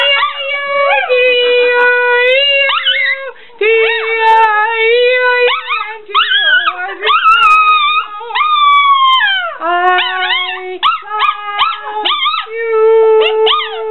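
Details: Chihuahua giving drawn-out, tonal howling and whining with wavering pitch, sustained notes broken by short yipping bursts and sliding glides, continuing almost without pause across the stretch; no other clear sounds.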